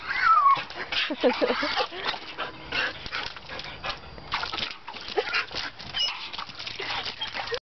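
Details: Jasmine, a one-year-old border collie mix, excitedly playing with splashing water; a short high whine near the start, then brief yelping grunts, all under steady splashing and a person's voice.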